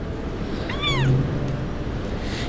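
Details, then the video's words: Street kitten abandoned by its owner, playing with sausage and refusing to eat; a single short, downward-curving cry with a brief low thump beneath it, then only background hum. "Abandoned Kitten Crying At The Street"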